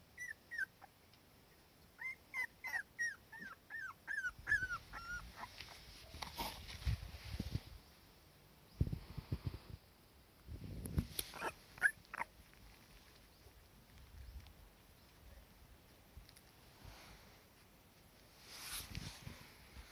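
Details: Young Cardigan Welsh Corgi with her mother under warm sun, uneasy without the mother nearby, giving a short run of high, falling whimpers at first, then soft rustling, thumps and brief squeaky whines amid quiet.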